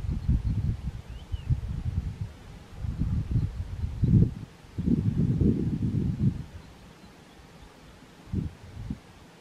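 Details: Chacma baboon (Papio ursinus) family in warm early morning sun at Golden Gate National Park, South Africa, 23 November 2022; low, rough grunting in several bouts of bursts, with quieter gaps and faint rustling between them.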